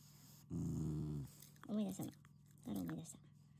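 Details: Shiba Inu, a pet family dog, growls affectionately while eating treats, not angry. Three low rumbling growls: a long steady one, then two shorter, slightly rising bursts, with quiet room background.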